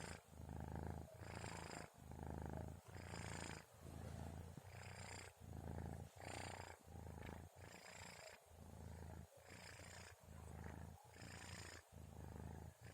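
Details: Orens the kitten snoring while asleep around 2:30 at night, a soft rumbling purr-like snore with quicker alternating breaths, some under a second, rhythm slightly uneven.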